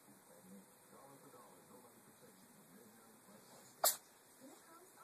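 A Ragdoll cat gives one sharp, breathy sneeze in an otherwise quiet room.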